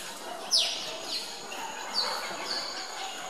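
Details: Captive meerkats at Zoo Augsburg squabbling over chicks at feeding time, stealing food from each other: a loud shrill downward-sweeping squeak, then a few fainter high sliding calls, over low background chatter.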